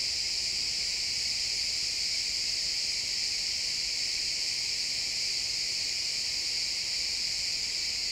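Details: Crickets chirping in a pine forest at sunset: a dense, steady high-pitched trill from many insects blending into one unbroken wall of sound, captured with an XY stereo pair.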